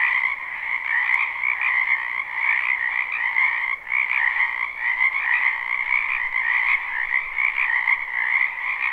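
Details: Many frogs croak in a spring wetland behind a house in a live recording. The chorus is a dense, unbroken trilling buzz, steady in pitch and level throughout, with a few faint clicks.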